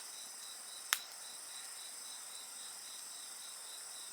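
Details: Shrill, unbroken insect trills with a rapidly pulsing chirp, heard at a bonfire; a single loud pop from the fire breaks in near the start.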